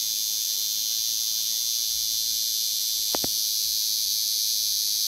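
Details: Cicada singing freely in nature: a steady, unbroken high-pitched buzzing drone held at constant loudness throughout, with two brief sharp clicks just after the midpoint.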